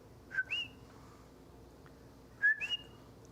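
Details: A coqui, a small Puerto Rican frog heard calling at night in huge numbers, gives its two-note 'co-qui' call twice: a short low note, then a higher whistled one.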